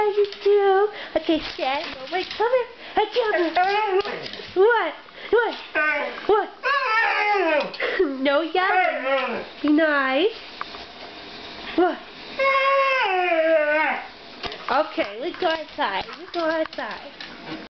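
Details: Demon, a pet Siberian Husky, chatters with his owner indoors in a rapid run of varied yowls, swoops and whines, with a longer sliding howl near the end and the owner's voice mixed in.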